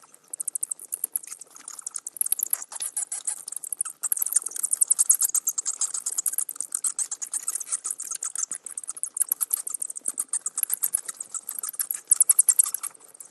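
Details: Bats giving rapid, very high-pitched clicking chatter, dense trains of sharp ticks with irregular bursts running throughout.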